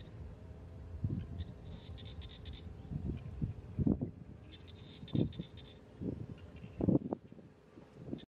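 Buffalo giving low, deep grunting calls in short bursts, with faint high chirping in the background.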